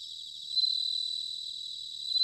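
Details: A single bell cricket trilling in autumn, Sanuki, Chiba Prefecture, Japan, recorded on ZOOM H6 and TASCAM DR-05X: one sustained, high, bell-like pulsing ring that swells, holds, and rises again at the end.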